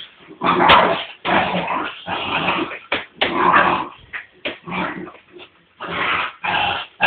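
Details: American Staffordshire terrier, a male dog, in a garden, hanging on and playing with a garden hose; bursts of rough growling and muffled tugging noises come in close succession, separated by brief pauses.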